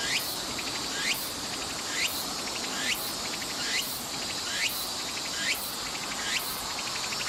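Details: Tsuku-tsuku-boshi cicada singing in summer at Nishi Park, Sendai, Miyagi Prefecture, Japan, on 14 August 2014: a steady run of rising, rasping phrases, each repeated a little under once per second, over a dense bright insect hiss.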